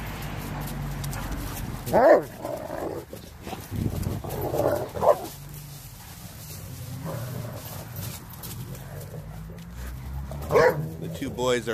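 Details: Renascence Bulldogge puppies playing with a Blue Bay Shepherd and a German Shepherd outdoors on Thanksgiving Day 2018; short sharp barks burst out near two, five and ten and a half seconds, with a man talking between them.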